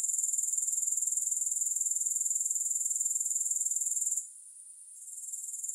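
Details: Shrill, steady grasshopper chirring with no music pulses quickly and evenly, then dips sharply after four seconds before slowly returning.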